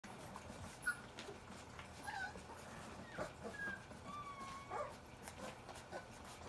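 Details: Hungry young springer spaniel puppies from a large litter, the noon group waiting at feeding time for their mother. Several short thin whines and squeaks, some rising, others sliding down, scattered over a steady background hiss.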